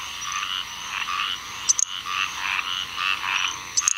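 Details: A little grass frog calls on 7 June 2015 in Onslow County, North Carolina, giving thin, very high, insect-like chirps over a steady background chorus of squirrel treefrogs.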